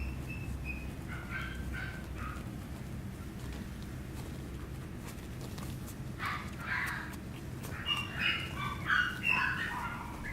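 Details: Chihuahua puppy whimpering: scattered thin high squeaks early, a quiet stretch, then a louder cluster of shrill yelping whines toward the end, with a constant low hum beneath.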